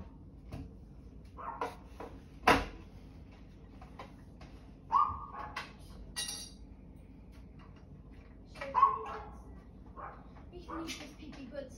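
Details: A dog giving scattered barks and short whiny yelps, with a few sharp knocks and clatters between them and quiet gaps between bursts.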